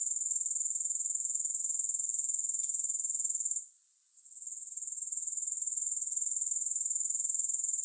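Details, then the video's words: Grasshopper sound, with no music, as a dense high-pitched pulsing trill about four beats per second, with a brief gap partway through and a faint tick just before it. "Grass Hopper Sounds"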